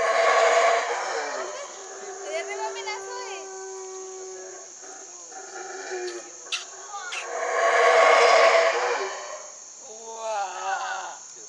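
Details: Howler monkeys in Chiapas, Mexico roar in deep, rasping, surging bursts, with people talking and a steady high insect drone.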